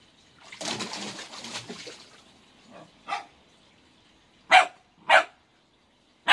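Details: Sixteen-week-old Pembroke Welsh Corgi pup at play in a swimming pool with a ball: splashing water first, then a soft yip and sharp, short barks spaced about half a second to a second apart.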